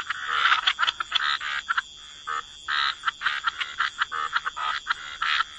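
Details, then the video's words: Croaking frogs by wetland water: clusters of quick buzzy croaks, a brief lull in the middle, then a renewed run of evenly spaced calls over a faint steady high hum. "Frog Lullaby: Relax to the Sound of Croaking Frogs"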